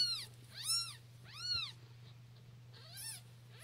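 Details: Siamese kittens under three days old, in a shelter litter of four, crying loudly so their mother can hear them. Four short, high-pitched, arched squeaks come at irregular intervals, the last fainter, over a constant low electrical hum.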